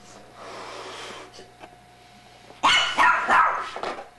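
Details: A young female Pekingese x Chihuahua playing with a toy barks in a quick burst of sharp, harsh yaps near the end, after a quieter stretch of background hiss.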